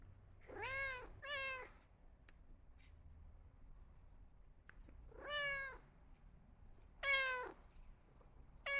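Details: Several cats give drawn-out tonal meows, two close together at the start and two more later, some rising sharply, with faint clicks and low background hum between calls.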